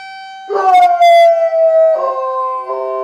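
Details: Female puppy howling out a window at the town's weekly Saturday 11 a.m. emergency siren test; a steady siren tone sounds first, then her wavering, harmonic-rich howl joins, gliding slowly downward over the siren.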